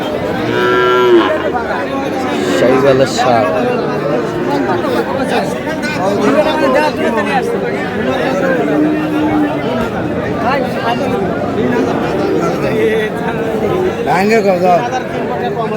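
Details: Sahiwal bull calf at a busy cattle market in Munshiganj, 29 March 2026; a harmonic moo rises near the start amid constant crowd chatter and haggling over prices.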